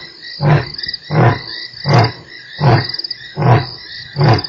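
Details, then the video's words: Lion at Nkorho on 3 March producing six deep, evenly spaced grunts, about 0.75 seconds apart, ending a roar sequence, while insects buzz steadily behind. "lion roars"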